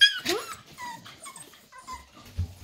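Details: Six-week-old Staffordshire Bull Terrier puppies from one litter, recorded 11 December 2023: a few short high whines, some slightly falling, follow a burst of human voice, with a low thump near the end.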